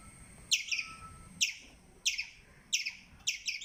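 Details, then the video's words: Squirrel giving short bursts of shrill, bright chirps, a quick stuttered pair or triplet about every 0.6 to 0.9 seconds, over a quiet low background hum. "Squirrel chirping Sound"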